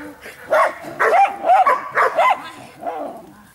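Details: Rapid series of six barks from Giant Schnauzer Blackmoore, coming in quick succession over under three seconds, the final bark softer and lower than the rest.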